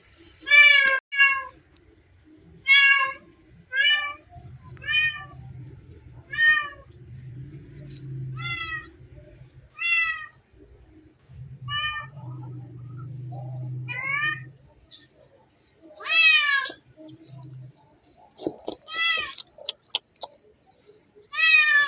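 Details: Cat playing with a mouse, meowing in irregular short bursts, some in quick pairs, others spaced a few seconds apart, with a low hum in the background midway.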